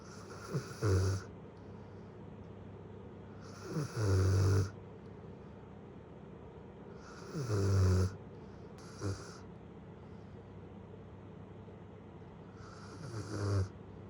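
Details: Snoring of Lala, a one-year-seven-month-old female Great Pyrenees: deep, low rumbling inhalations repeat roughly every three to four seconds, four strong snores with softer snorts between, over faint steady background hiss.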